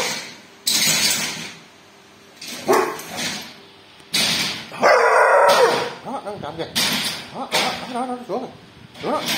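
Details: Dog barking at a thief: loud, sharp barks in bursts, mixed with human speech and stretches of quieter background.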